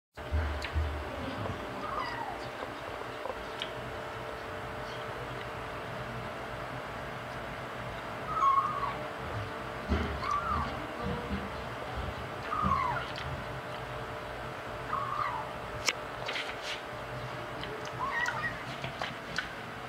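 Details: Five-week-old male kitten talking while eating the adult cats' dry food: short, soft, rising and falling mews scattered every couple of seconds over low background hum and faint crunching.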